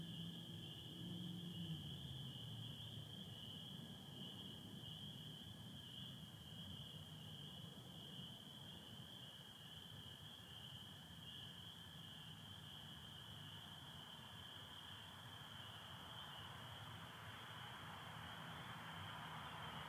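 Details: Michigan night chorus of spring peepers, 24 April 2025, partly overcast sky: a continuous shrill wall of overlapping high peeps, with a fainter lower trill of American toads and a steady low background rumble.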